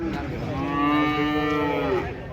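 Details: A huge cow unloaded from a truck in Indonesia gives one sustained, even moo of about two seconds, strongly harmonic, ending with a short upward bend, with voices nearby.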